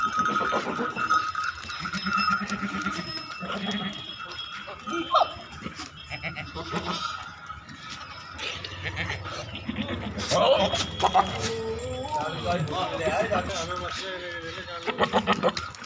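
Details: Farm goats in Narayanpur, Assam, calling with repeated nasal, quavering bleats from several animals, accompanied by clinking, rustling and occasional voices in the background.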